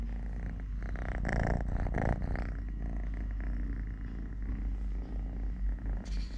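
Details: A three-legged young cat purring while eating, playing, walking and play-fighting with a hand: continuous low rumbling purr throughout, with brief rustling and handling noises near the start and end.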